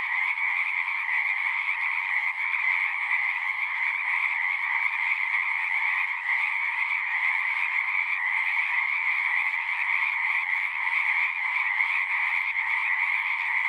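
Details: Continuous frog chorus: countless overlapping trilled croaks fuse into an even, dense buzzing drone at two stacked pitches, holding constant loudness throughout.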